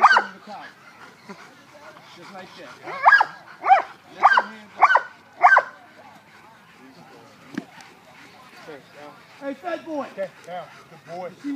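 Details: Italian Mastiff named Kane at work, dragging a handler: five loud, sharp barks in quick succession near the middle, about half a second apart, with people talking before and after.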